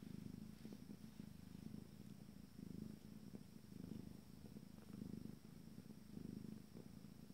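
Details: Low, even purring from 14-day-old Abyssinian kittens of a first litter, rising and falling in soft breathing-paced swells roughly every second, with no other sounds.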